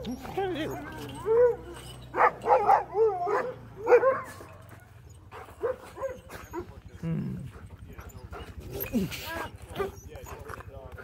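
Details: Sociable sled dogs in Alaska greeting a newcomer. A burst of high, excited yelps and short barks fills the first four seconds, then people talk over a low rumble.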